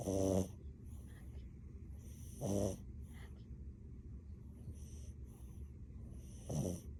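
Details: A sleeping French Bulldog snoring: three short, rasping snores, one at the start, one near two and a half seconds and one near six and a half seconds, separated by quiet breathing over a steady low hum.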